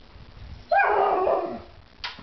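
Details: Irish Setter vocalizing because it wants to eat: one rough, noisy whining cry lasting about a second, followed by a short faint second sound near the end.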